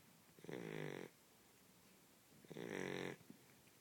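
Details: Blue Shar Pei, a small male dog, snoring while asleep indoors: two long rasping, rattling inhalations about two seconds apart, each lasting around half a second, with quiet breathing between.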